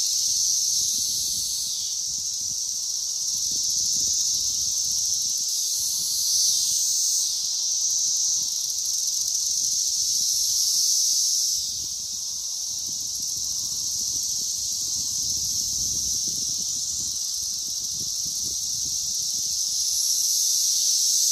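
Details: Brood XIII periodical cicadas, mostly Magicicada cassini with a few M. septendecim, mating and laying eggs on a Green Ash at Danada Forest Preserve, Wheaton, Illinois, May 31, 2024; a dense, steady high-pitched buzzing chorus that swells and dips slightly.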